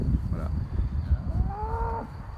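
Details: Dairy cow in a peaceful herd near Thônes, Aravis, Haute-Savoie, France, in spring, called cow language: a short low moo rising then holding a steady tone near the end, over wind buffeting and low rumble.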